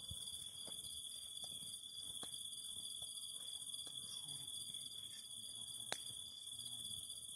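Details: A cicada chorus beside a fire: a sustained high shrill drone with a pulsing trill, punctuated every second or so by sharp crackles and pops of burning wood.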